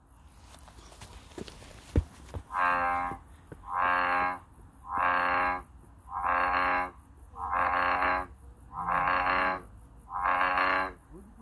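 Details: American bullfrog calling in nature: after a few faint clicks, seven deep, harmonic-rich calls about a second long each, repeated steadily roughly every 1.3 seconds over a quiet background.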